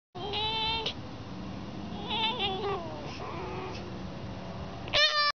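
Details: Fox screaming: a harsh wailing cry opens, a stuttering burst of rapid screams follows near the middle, then quieter wavering calls, ending with one loud, rich scream.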